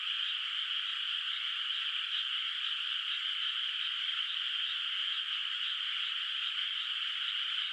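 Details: Night chorus of frogs echoing across a moonlit, still unplanted rice field in rural countryside; countless far-off voices blend into an even, high rattling drone that keeps a fast pulsing rhythm from start to end.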